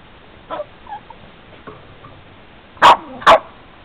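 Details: Boston terrier attacking a family van in icy conditions, giving two sharp loud barks near the end after a few faint yips and soft noises.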